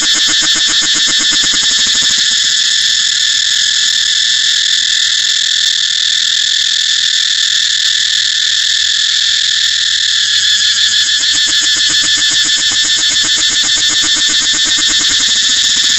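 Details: Cicada song from Thailand: a loud, continuous buzzing drone held steady for the whole stretch, with a fast pulsing texture and no other sounds breaking through.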